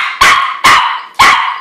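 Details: Small house dog giving three sharp, high barks in quick succession, roughly half a second apart.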